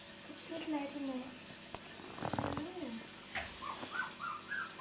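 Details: Two-week-old miniature Labradoodle puppies from Rosie's litter, born 31 July 2009, whimper indoors: thin squeals slide downward, then short higher whines rise and fall, over a woman's soft cooing speech and a brief rustle.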